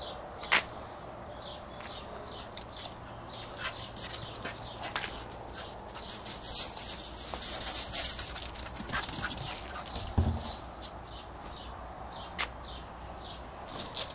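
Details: A Staffordshire Bull Terrier in a wild, excited burst of zoomies gives soft, brief whimpers and yips amid many sharp snuffling and scrabbling clicks, and a person speaks briefly near the end.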